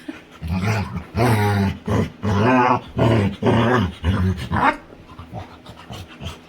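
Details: Playful female Labrador retriever making funny sounds during play with her owner indoors: four long, loud, rough groaning growls of about half a second to a second each, then quieter panting breaths.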